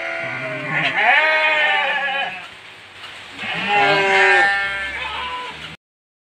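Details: Hungry goat bleating to be fed during heavy rain: two long, loud, quavering harmonic bleats about three seconds apart, with a person's voice and rain noise faintly behind.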